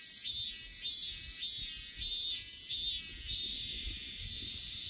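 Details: Robust cicada, known in Japan as minminzemi, singing with high buzzy pulses repeated about every half second in a steady rhythmic series, with low background rumble.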